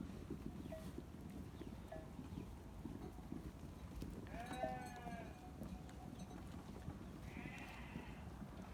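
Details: Farm sheep giving two faint, quavering bleats, one midway and a higher, thinner one near the end, against constant low background rumble.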